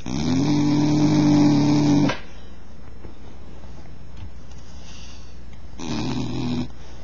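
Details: Bull terrier snoring: a loud, droning snore with a steady low tone lasting about two seconds, then a quiet pause, then a shorter, softer snore near the end.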